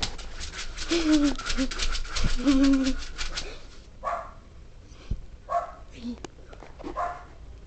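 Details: A pet pug barks in a few scattered, short yaps after a noisy opening with a whining tone, while people speak nearby.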